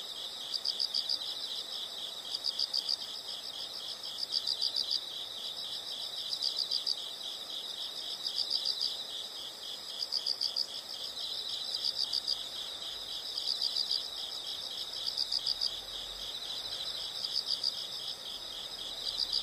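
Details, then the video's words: Chorus of insects heard as nature sound: continuous high-pitched chirping with pulsed bursts swelling roughly every two seconds, several callers overlapping in an even, unbroken texture. "the sound of insects"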